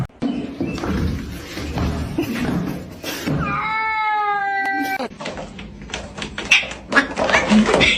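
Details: A cat gives a drawn-out, wavering meow midway through, surrounded by people talking, laughing and bumping sounds.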